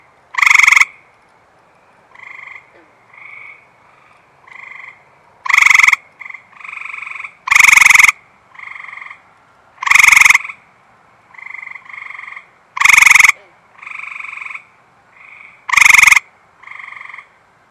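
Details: Eastern Gray Treefrog calling close-up just after rain on a warm, humid night, unbothered by a nearby observer; six loud, short buzzy trills roughly every two to three seconds, with softer, lower trills from other frogs between them.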